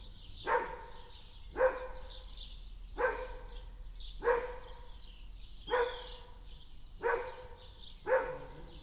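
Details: Dog barking in a backyard, single sharp barks repeated roughly every one to one and a half seconds, seven in all, with birds chirping and twittering steadily in the background.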